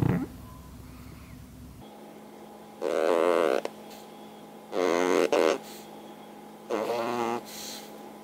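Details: Pug asleep as usual beneath a hanger rack, snoring loudly indoors; after a short quiet stretch, the snores come in sped up three times, as short, buzzy, harmonic bursts roughly every two seconds that sound like farting.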